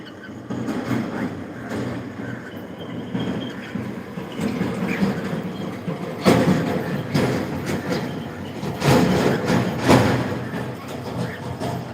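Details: Steady low rumbling and clattering like a moving train, with occasional thumps and no animal voice.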